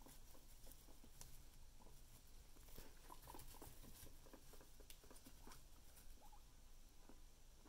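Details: Two pet guinea pigs, quietly recorded: soft pattering and rustling with scattered brief high squeaks, some in quick pairs.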